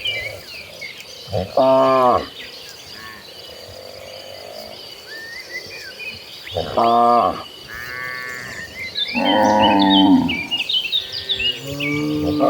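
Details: Cattle herd walking toward pasture in late afternoon: several loud, harmonic moos, at about 1.5, 7 and 9.5 seconds, with a rougher lower bellow near 10 seconds; birds chirp throughout in the background.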